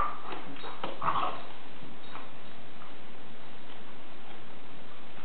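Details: A dog wrestling makes a few short, soft whimpering yips in the first second or so, then quieter bursts, over a steady background hiss.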